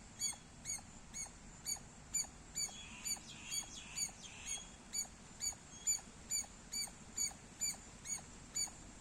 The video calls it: Loud Squirrel Sounds -squirrel chirping Sounds Loud